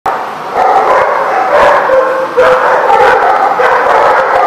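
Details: Many dogs barking together in a dense, continuous chorus of overlapping barks with no pauses.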